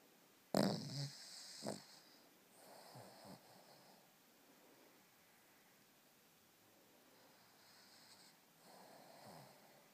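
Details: Two-year-old Cavalier King Charles Spaniel snoring while dreaming; a sharp snort near the start, then soft, irregular breathy snores with faint whimpering twitches in a quiet room.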